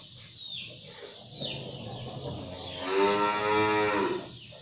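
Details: Londo cattle, shod and pulling a traditional pegon cart, the last one in its district, give a loud, harmonic moo lasting about a second near the middle, over busy background chatter and chirping birds.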